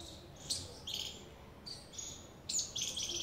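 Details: Squirrel calling with sharp, high, buzzy chirps, each a short noisy burst; about five come in three seconds, some doubled, over a faint low background hum.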